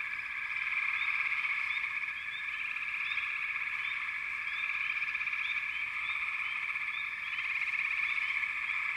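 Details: Frogs in a busy, continuous chorus; overlapping trills form a steady hum while quick chirps recur roughly four per second, gently swelling and fading.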